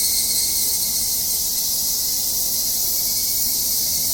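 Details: Cicadas on a summer mountain in Japan, heard while hiking: an even, high-pitched continuous buzzing hiss with no breaks and a faint thin steady tone below.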